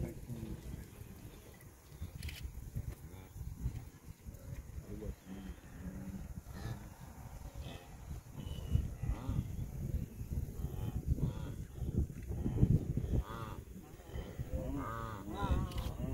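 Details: Migrating wildebeest on the Serengeti plains of Tanzania, 27 June 2023, give overlapping honking, grunting calls that build toward the end, many animals calling at once over a constant low rumble, with brief human voices in the background.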